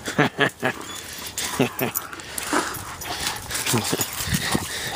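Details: Louie, a pet dog with heart failure, in a backyard playing with his stick and wanting to fight: short, harsh grunting growls come in quick irregular bursts while a person's voice talks to him.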